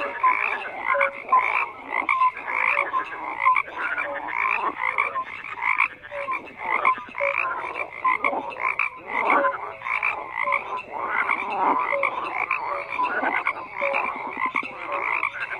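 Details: Many frogs croak together in a continuous, crowded chorus: grating trills and rattling pulses layered with short piping notes, rising and falling in waves without any break.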